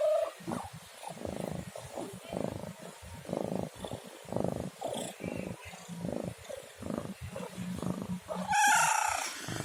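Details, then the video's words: Domestic cat giving one loud, bright meow near the end, after long stretches of low, pulsing rumble; earlier faint tonal bits. "SUARA KUCING MENGEONG | Cat Meowing Sound"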